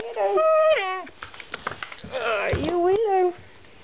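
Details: Pet husky indoors, vocalizing back and forth with its owner about going upstairs; a long wavering, whining howl that rises and then drops, a brief pause with small clicks, then a second bending, yodel-like phrase.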